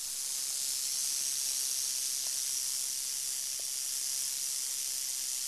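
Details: Northern Pacific rattlesnake sounding an unbroken, even, very high hissing buzz for the whole stretch, with no other noticeable sounds.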